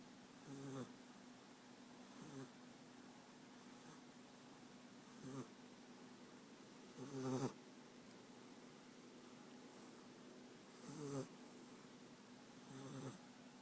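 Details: American Staffordshire Terrier puppy sleeping and snoring indoors; soft rasping snores recur every one to four seconds, each a short broadband rattle over a low steady hum.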